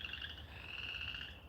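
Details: Frogs, heard croaking along while a man talks, form a chorus that blends into a steady, high, pulsing trill; recorded around 20 February 2020.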